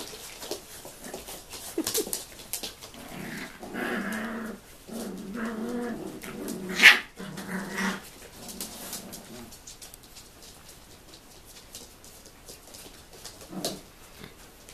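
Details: Tibetan Terrier grandmother disciplining seven-week-old puppies from a 2015 litter: low rumbling growls build through the middle, then one sharp yelp or bark, fading to quiet scuffling and a final short growl.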